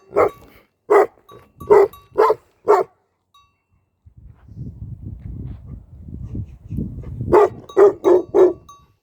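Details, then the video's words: On a Nepalese sheep farm, a guarding Tibetan Mastiff barks five times in deep bursts, then a few seconds of low rumbling noise, then four more quick barks. "भेडा गोठको भोटे कुकुर || Shepherd Dog Of Sheep Farm || Tibetan Mastiff In Nepal"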